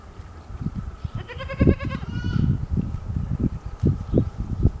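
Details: Morning scene of a goat drinking milk from its mother: a clear, trembling, nasal bleat lasting about a second, followed by repeated low thumps and rustles.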